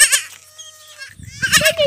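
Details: Bottle-fed goat kids, rejected by their mothers, bleat in short wavering bursts at the start and end, with a thin steady tone and soft low rustling between.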